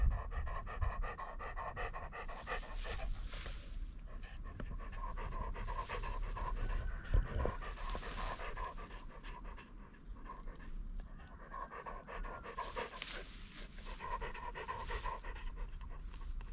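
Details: German Shorthaired Pointer (Kurzhaar) training on wild partridges in Cyprus, 2 February 2024, while pointing. Rapid, rough breathy panting runs throughout at roughly three pants per second, with a steady faint tonal hum in the background.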